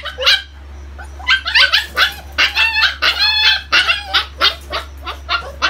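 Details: Siberian husky, a household pet, giving quick high yips and short barks in an irregular burst of about a dozen sharp notes, with a steady low hum underneath.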